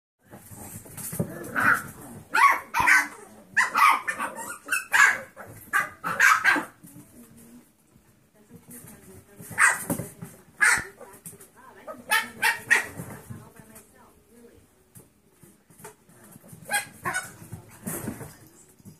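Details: Five 7-week-old mixed breed foster puppies, Happy, Lady, Emily, Brindy and Bell, give high yappy barks in quick bursts, several overlapping, with a quieter stretch of soft yips and whines midway.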